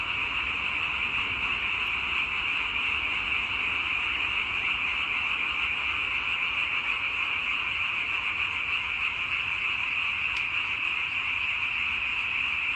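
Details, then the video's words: Frogs chorus steadily in a continuous high croaking wash, one brief faint click partway through, otherwise an even, uninterrupted drone of many callers. "와성멍 (개구리 와, 소리 성, 멍 때릴 멍)"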